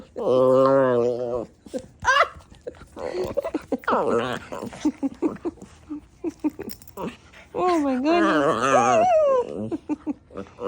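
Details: Klee Kai dog getting feisty as the sun goes down, indoors; long wavering, whiny howl-like yowls open the recording and return near the end, separated by human chatter, short noises and some laughter.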